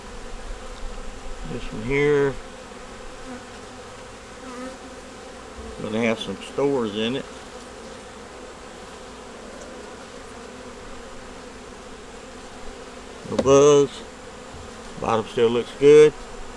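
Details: Honey bees in a nuc colony with a yellow queen, eggs and brood, checked in winter while working to survive the season: a steady, low droning hum throughout, broken by short bursts of human talk.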